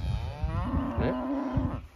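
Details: On a hot day at an animal sanctuary, a calf moos to call its mother to come to it while she stays in the shade; one drawn-out, steady, tonal moo over low rumbling background noise.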